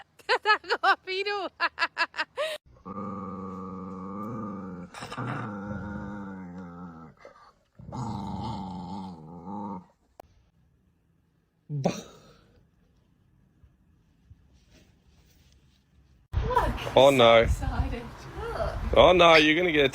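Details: Domestic dog from a comedy compilation: rapid yips at first, then long, drawn-out, wavering growling howls in several stretches, with a loud noisy jumble of sounds at the end.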